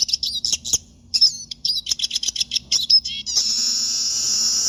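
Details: Pet siskin singing rapid high chirps and twittering notes for about three seconds, then a steady high hiss covers the rest.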